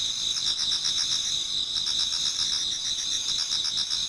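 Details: Autumn insects in a Japanese garden toward daybreak, many voices merging into a steady piercing trill, punctuated by fast repeated chirps.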